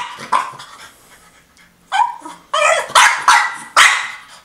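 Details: A female French Bulldog gives sharp, insistent barks and grumbles, demanding her toy.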